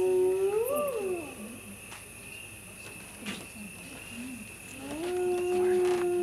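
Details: Hyena calling at night in the Masai Mara: a hollow, tonal voice that swoops upward then slides down.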